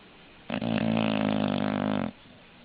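An English bulldog gives one long, rough, rattling snore lasting about a second and a half.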